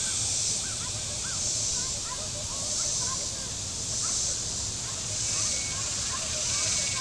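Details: Cicadas on the shore of Table Rock Lake in southern Missouri on a very warm Saturday, amid boating: a dense, high, hissing buzz that swells and fades about once a second, with scattered faint bird chirps and a low motor hum.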